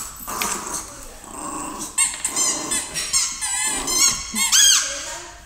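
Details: A 5½-month-old female Rottweiler playing with a Yorkie gives rough growls mixed with high, whining yips and short harmonic squeals.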